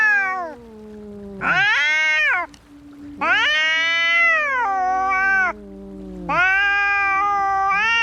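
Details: Cats brawling: three drawn-out, strident yowls, each surging up abruptly, holding a bright wavering wail, then sagging down, separated by quieter moaning tones.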